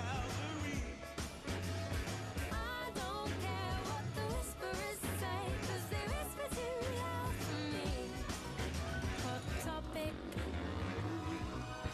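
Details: Pop song with vocals, steady beat and dense instrumentation throughout; no animal sound.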